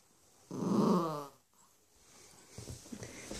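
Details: A grumpy four-month-old Cavalier King Charles Spaniel puppy named Bentley, indoors and wanting bedtime on the human, gives one loud low rumbling growl lasting under a second, followed by soft shuffling and faint rustling.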